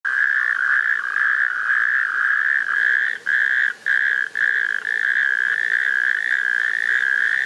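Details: Natterjack toads give a loud, unbroken rattling trill with only a few brief pauses, in shallow rain-filled water in a sand pit in Wendland, Northern Germany, on 19 June 2024.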